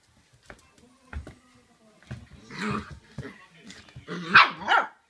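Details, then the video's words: Shiba Inu puppy indoors, barking furiously at its owner's feet just after the owner comes home, apparently angered by the smell; sharp irregular barks and yelps building in loudness toward the end, with thumps in a small room. "足の臭いに激怒して吠えまくる柴犬 〜 The dog which is angry at the smell of the foot 〜"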